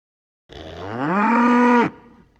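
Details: A cow out in a grassy field calls to its friends with a single drawn-out moo, pitch climbing early then levelling into a sustained, richly harmonic bellow that cuts off sharply.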